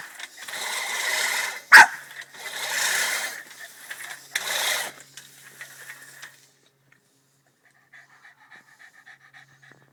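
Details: A Boston Terrier, angry at a push lawnmower, gives harsh, breathy barks and huffs in short noisy bursts.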